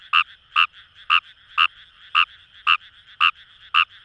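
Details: Close, loud croaks of a wild Kawamura's rice frog in Itoshima paddy fields, Fukuoka, Japan: eight crisp, short notes roughly twice per second, with a quiet murmuring chorus between them.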